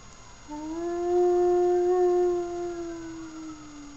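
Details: Puppy named Sirius giving one long, steady, mournful howl that rises slightly, holds for about three seconds, then tapers and falls away; quiet background hum throughout.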